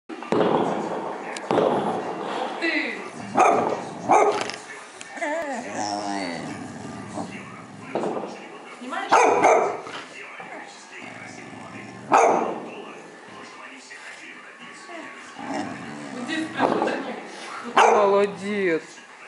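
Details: A dog barks in short, sharp bursts at fireworks late at night around New Year, while people talk nearby.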